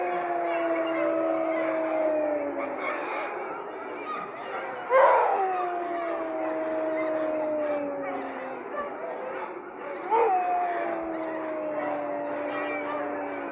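Sled dogs howl together in long, sustained tones that slowly slide downward, with sharp yelps breaking in.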